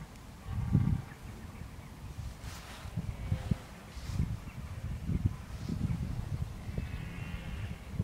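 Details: Red deer in October 2014, bellowing as it prepares for the rut. A short harmonic call comes early and a longer groaning bellow near the end, both behind strong low wind rumble and scattered thumps.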